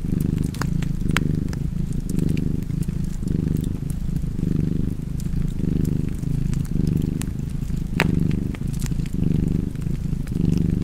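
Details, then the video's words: Soft rumbling purr of a cat, swelling on each breath at a steady pace, accompanied by frequent crackling of a fireplace in the background. "Cozy Purring Cat ASMR"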